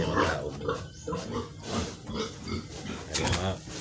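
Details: Domestic sow on a farm during deworming, giving low rough grunts mixed with a man talking in Filipino throughout.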